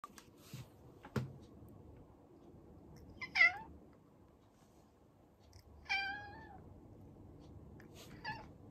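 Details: Domestic cat, the household's second-born male, meowing for attention indoors after an older cat with cat-flu symptoms was isolated, now acting dog-like. Three separate rising-falling meows with clear harmonics spaced a few seconds apart, with faint knocks between.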